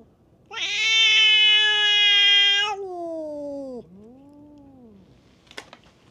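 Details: Feral cats fighting at a tavern on a cat island. A loud, harsh, sustained yowl is followed by a sliding downward moan and a lower, arching wail. A brief click comes near the end.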